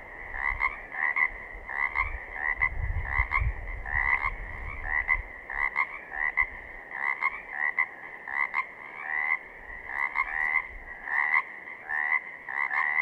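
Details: Several Pacific chorus frogs from southern Oregon give steady raspy croaks with a slight upward lilt, overlapping in a pulsing chorus near once per second; a brief low rumble sounds early on.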